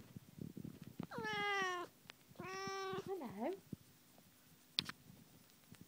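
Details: A Tonkinese mother cat and her kittens in a small room. Two drawn-out, slightly falling meows about a second apart, then a short wavering trill-like call, over low background rumble and a sharp click near the end.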